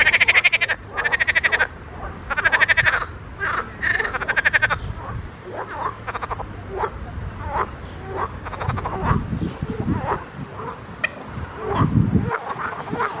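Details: Frogs croaking in a pond: several strong rattling bursts open the recording, then the calls grow fainter and scattered against a rumbling low background.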